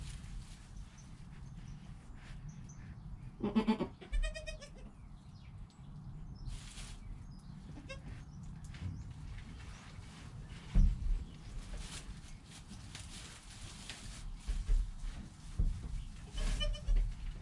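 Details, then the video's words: Two brief, trembling bleats close together come from a newborn goat kid named Joel in his first hour of life, captured on a GoPro next to mother Penny, followed by rustling, knocks and low background hum. "4K Baby Goat - One Hour Sound and Video"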